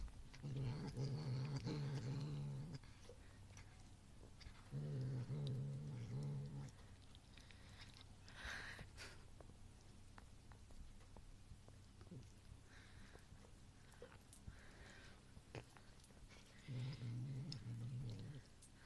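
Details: Ronan the cat growls while chewing a piece of cheese, aimed at another cat, Muff, even after she has gone. Three low rumbling growl bouts of about two seconds each, separated by quieter eating noises and rustles.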